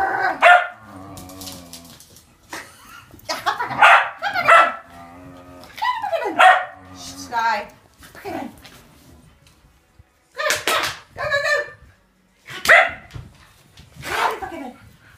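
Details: Tricolor and blue merle Shetland Sheepdogs chasing during play; repeated high, sharp barks in bursts about every second or two, with people talking and cheering in Dutch between them.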